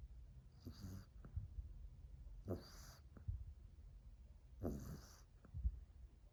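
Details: French Bulldog named Mila, female, asleep under a chair indoors, recorded 2 March 2021, snoring loudly: three raspy wheezing snores roughly two seconds apart, each a noisy rattling inhale, with soft low rumbling between.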